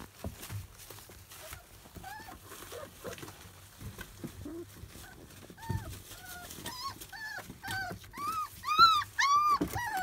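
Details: Teething Labrador Retriever pups, field line, aged 27 days, biting at anything within reach. Thin, rising-and-falling whines repeat roughly twice a second, growing louder and more insistent toward the end, over faint shuffling.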